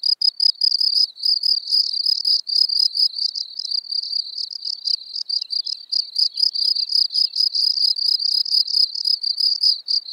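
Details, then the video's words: Common field cricket (Gryllus campestris) singing at Elsbethen, Austria, on 24 April 2020: high, shrill pulsed chirps repeated about three times per second in a steady, unbroken run, with no other sounds. "Gryllus campestris -- Feldgrille -- Common Field-cricket"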